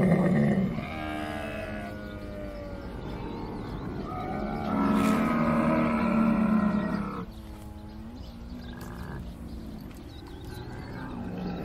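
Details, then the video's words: Camel calling: a deep, harsh, gurgling moan with rough layered tones, loudest in the middle, then a lower throaty grumbling with a few vocal stutters toward the end. "CAMEL SOUND | IL SUONO DEL CAMMELLO"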